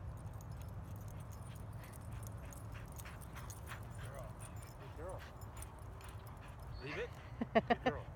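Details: At a dog park, a playing dog gives a few soft rising yelps midway, then a quick burst of four short barks near the end, over a constant low rumble of background noise.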